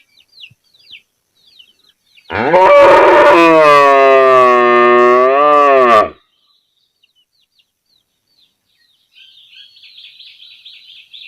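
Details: Village cow calling to her calf with a single drawn-out moo lasting nearly four seconds, rough at the start then smooth and even, with faint bird chirps around it.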